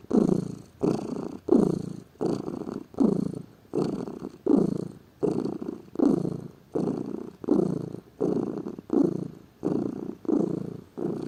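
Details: A lazy pet cat gives a steady, low, throaty purr of about fourteen even pulses, one with each breath, roughly every 0.8 seconds, loud and regular throughout.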